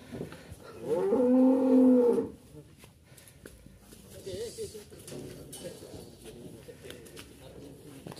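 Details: Sacrificial cattle (sapi qurban) being loaded from a farmer's pen for transport to Jakarta; one loud, low, steady moo lasting over a second with strong even harmonics, followed by quieter voices, clattering and handling noises.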